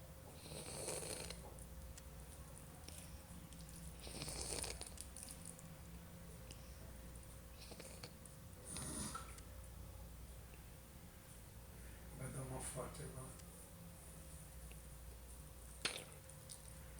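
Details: A dog named Kliford snoring, with soft, breathy snores about every four seconds over a low, steady hum and a faint constant tone.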